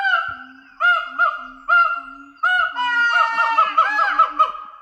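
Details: Siamang gibbons calling at Dublin Zoo, males and females together in a territorial daily ritual: low swooping woo notes alternating with brighter rising whoops, speeding into a quick, excited run of overlapping hoots.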